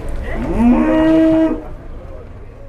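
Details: Cattle wearing masks, just arrived and coming down off a truck, give one clear moo about a second long, steady and harmonic-rich with a slight upward bend at the start, then background noise continues.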